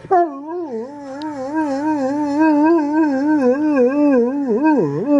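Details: Dog, filmed indoors for a funny compilation, holding one long wavering howl-like tone that wobbles quickly up and down for about five seconds and dips deeper near the end.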